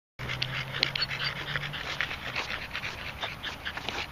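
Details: Red Staffordshire bull terrier, male, panting heavily after a short walk around a field because he puts all his effort into walking; quick, breathy huffs repeat steadily, with a low hum at the start.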